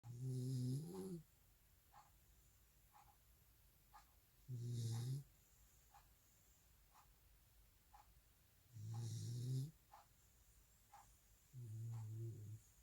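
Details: Welsh Corgi asleep after a two-hour walk on grass, snoring in deep rumbling breaths with a whistly edge, one roughly every four seconds, with soft faint clicks in between.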